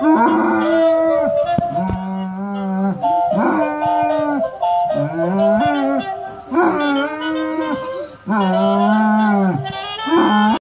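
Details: Pet Basset Hound singing along to the Christmas song Santa Claus Is Coming to Town: drawn-out, wavering howls with rising and falling pitch, several long notes held a second or two each, over the recorded music playing throughout.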